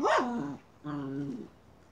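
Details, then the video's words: Miniature schnauzer hunting a chipmunk: a sharp yelp sliding down into a steady whine, then after a short pause a second level, drawn-out whine of about half a second. "Hunting chipmunk by a miniature schnauzer."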